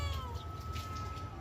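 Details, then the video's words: Domestic cat answering in conversation with a drawn-out, slightly falling meow that holds steady to the end, over a low background hum. "Cute Conversation With A Responsive Cat"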